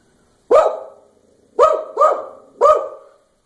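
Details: A Samoyed, described as extremely excited and happy, "wishing a happy New Year," gives four sharp, mid-pitched barks in quick succession.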